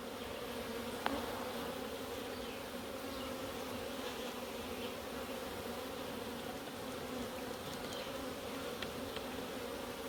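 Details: Steady colony hum of Africanized honey bees, described as gentle, while a beekeeper opens hives for routine maintenance in Puerto Rico. An unbroken low drone, with a faint click near the start.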